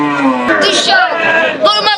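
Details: Cattle at the Tulatuli cattle and goat market on its last day, Sunday 16/06/2024; a low, steady moo opens the moment, quickly buried under loud close talking and market chatter.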